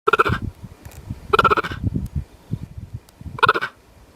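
A cheetah gives three short, high, chirping calls spaced a second or two apart.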